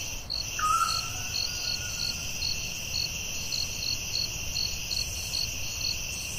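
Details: Forest crickets at night keep up a bright, unbroken trill with evenly spaced chirps; near the start a single falling whistled note from another animal cuts across.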